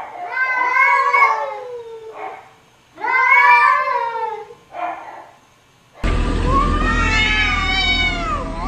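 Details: Domestic cats arguing and talking to each other: two long, drawn-out, wavering meows, each followed by a short chirp, then a louder rising-and-falling yowl over a steady low hum.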